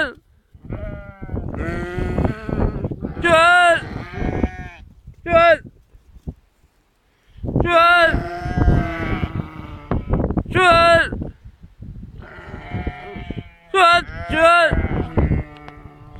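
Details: Bleating sheep: short, quavering, high-pitched cries, often in pairs, breaking out in bursts between stretches of people talking nearby, with a brief quiet pause midway.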